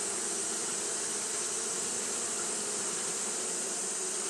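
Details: Continuous wing-fanning by Japanese honey bees in hot weather, heard as a dense, level buzz with a mellow low drone and strong high hiss, steady from start to finish.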